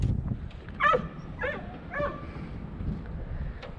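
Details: Russo-European Laikas on a drive hunt for wild boar: three short, tonal yelping barks come about half a second apart, each bright with stacked overtones, over a steady low rumble of movement and outdoor noise.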